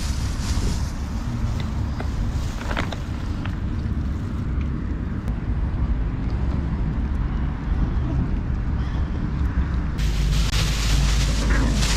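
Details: Constant heavy wind buffets the microphone over a low rumble, growing louder near the end, with no animal calls.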